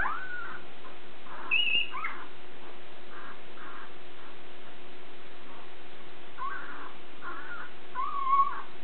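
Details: Border Collie puppies nine days old, Nell x Skeet litter at Wall 2 Wall Border Collies, Cartwright, Manitoba, March 12, 2016; soft grunting whines in short bursts with a few thin high squeaks, over low background hum.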